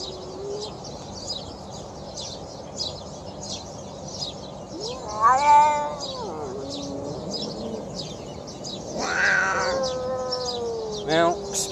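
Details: Hungry feral stray cat, first of several being fed outdoors, making weird hungry noises: two long, wavering, drawn-out meows several seconds apart, over a steady background of rapid high chirping insects or birds.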